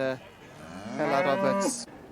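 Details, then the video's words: Beef Shorthorn heifers: one drawn-out, rising and then level moo of about a second, rich in harmonics, with music playing softly underneath. "Gwartheg Byrgorn Heffer | Beef Shorthorn Heifers"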